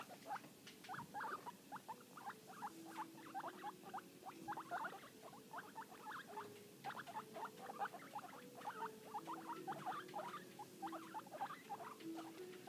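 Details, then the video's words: Happy, noisy guinea pigs, two brothers under six weeks old, keep up a steady stream of short squeaky chirps in quick succession, with a few longer low steady tones running beneath. "Happy guinea pigs being noisy."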